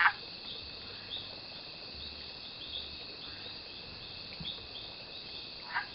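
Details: Mexican leaf frog mating call recorded in Yelapa, Jalisco, Mexico, on June 8th, 2014: two short, sharp clucking notes at the start and end, over a steady high insect drone and faint low rumbling.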